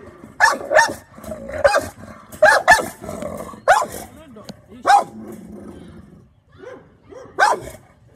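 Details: American Bully on guard, barking and growling; short harsh barks in bursts of two, with growly low rumbles between and a person speaking briefly.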